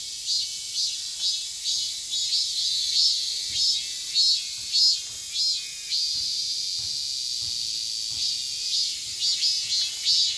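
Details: Summer song of the chammaemi, a cicada common in Korea: loud, shrill buzzing pulses beat about every 0.6 seconds in a steady 'maem-maem' rhythm, riding on a continuous high-pitched hiss with no other clear sounds.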